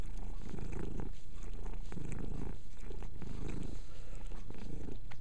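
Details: Mia the cat grooming herself while purring; a strong low purr pulsing roughly every second with faint licking clicks over it.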